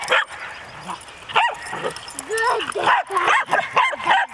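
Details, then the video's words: Several dogs playing together indoors, one dog doing most of the barking: short sharp barks and high whiny yips come in quick bursts, mixed with a person's voice and scuffling. "Dog play 4"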